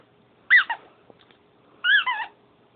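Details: Pet dog Sugar whimpering while playing when it is time for bed: two short high-pitched squeaky whines, each bending up then down, about 1.3 seconds apart, in a quiet room.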